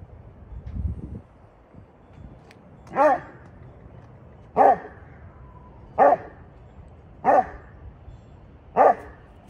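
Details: Vern, a rescued Saint Bernard with bone cancer, barks back and forth with neighbourhood dogs: five deep, resonant single barks about every one and a half seconds, with a low rumble of background noise before them.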